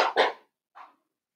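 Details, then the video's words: Blenheim Cavalier King Charles Spaniel puppies playing with their mother: a loud doubled bark, then a smaller, softer yip a half-second later, and silence. "Cavalier Puppies Play with Mama"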